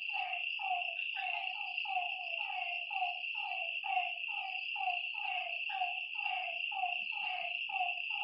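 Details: Frogs calling at night by a lakeside: short, descending croaks repeat roughly twice a second from several overlapping callers, over a steady high-pitched insect drone.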